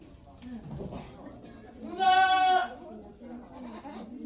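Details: Domestic goat Okayu at Yoshigake farm, Japan, during the birth of her two kids on 3 May 2023, with volunteers watching: one loud, harmonic, wavering bleat of about half a second, framed by quiet human voices.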